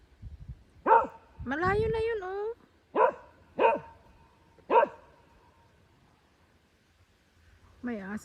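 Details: Agitated dog barking at a tractor, giving four abrupt barks about a second apart, plus a drawn-out rising vocal sound early on, with human speech at the start and close.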